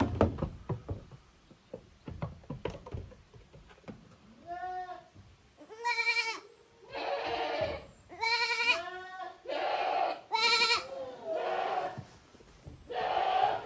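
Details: Goat kids at a handmade goat farm in Japan, the offspring of Koharu and Okayu playing in two teams in the exercise yard, June 13, 2023; a run of wavering, harmonic bleats after early knocks and rustling.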